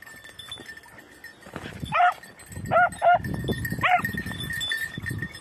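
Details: Red-blue tick and lemon-white beagles at hare hunting practice on Crete, Greece, in 2021: four short, sharp, yelping barks in quick succession over a steady high insect-like drone and rustling outdoor noise.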